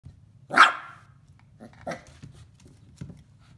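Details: Eight-week-old West Highland White Terrier puppy on its first day at home, excitedly playing in an indoor play-pen in April 2018; one high, sharp yap followed by softer, shorter yips and small knocks.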